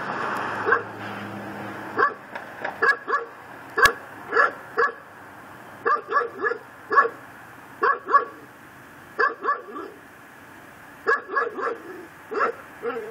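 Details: Backyard pit bull on a tether in Chalmette, Louisiana, recorded at midnight on December 24, 2012: persistent harsh barks in uneven groups of two to four, continuing through the whole stretch, with a faint low hum at the start.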